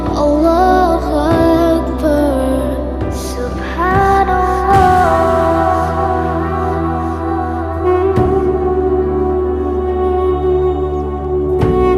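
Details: Loud, slow instrumental music with sustained tones and soft chord changes throughout, with no animal sounds.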